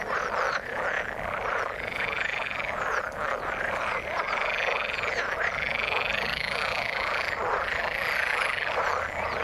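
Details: Frogs calling in the water, a dense chorus of overlapping croaks and rasping pulses, some with rising arcs, forming a continuous wall of sound with no pauses.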